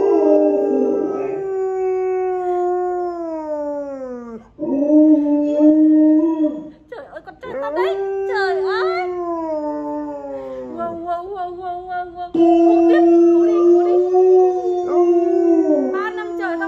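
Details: Pet Alaskan Malamute Honey gives repeated wolf-like howls after hearing a played wolf howl: sustained wavering tones that drop in pitch at each end, with some brief overlapping yips and a little human voice in the middle.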